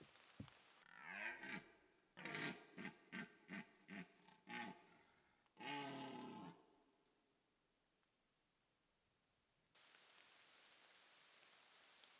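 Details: A red deer stag roars during the rut on a rainy September morning in Slovakia, giving a deep, harmonic bellow followed by a series of short grunts.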